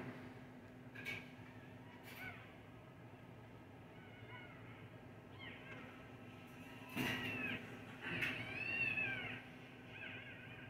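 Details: Newborn puppies in an incubator at Lafayette Road Veterinary Hospital, Indianapolis, Indiana, among seven just delivered by a vet. Faint early squeaks, then louder high arching whines near the end over a steady low hum.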